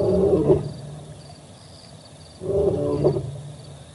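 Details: Male lion at the Olifants River, heard on a live camera recording from 4 October 2020: the tail of one moaning roar, a short quiet pause, then another throaty roar rising with grunts.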